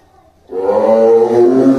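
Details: Two tigers in a cage at Tobe Zoo in Tobe, Ehime Prefecture, Japan, in early December 2023, growling and pacing. After half a second of quiet, a deep, harmonic-rich growl swells and is held steadily for over a second.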